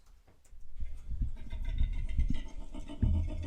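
A koala gives its mating call: a deep, rasping series of snoring grunts and rumbles.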